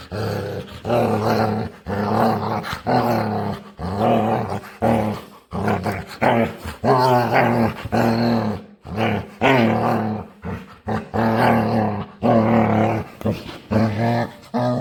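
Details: Playful dog begging to play and making weird noises: long run of loud, harmonic growly moans and whines in bursts of about one second, repeated steadily with short gaps.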